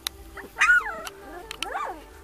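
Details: Young puppies, whose eyes have just opened and who have just started barking, give thin, high yelping barks that rise and fall, with a person talking nearby.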